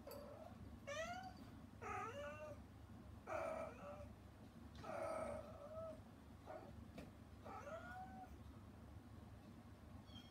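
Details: Hana, a rescued mother cat put outside the room because she disturbed her kittens' weaning meal, calls to them: a run of loud, drawn-out meows, some rising and wavering, roughly every second or so, with low background hum.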